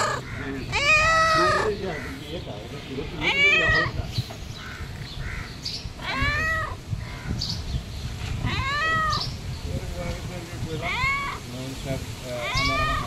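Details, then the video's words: A pet cat begging for food, meowing repeatedly: loud arched, whining meows roughly every two to three seconds, about six in all, over a constant low background hum and faint voices. "Cat Always Asking Me for Food"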